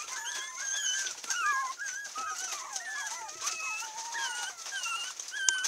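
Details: Several 37-day-old orange Pomeranian puppies, including females, in Kochi, Japan, whimper and squeal together in thin, wavering, overlapping cries.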